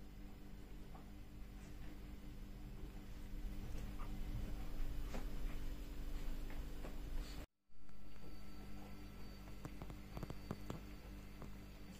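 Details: A quiet indoor room with a low steady hum and scattered soft clicks and rustles, with no animal voice. A brief moment of silence breaks the background partway through.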